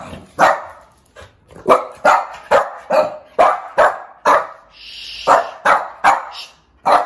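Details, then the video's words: Angry one-year-old female Shih Tzu barking loudly indoors: a rapid run of sharp, harsh barks, about two or three per second, in irregular bursts, with a brief higher whine-like sound near the end. "How Loud Do Shih Tzu Bark | Angry Shih Tzu"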